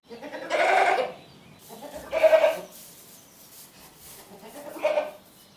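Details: Goat making three bleats in quick succession, the first longest and loudest, the last shorter and fainter, over a light, slightly noisy background.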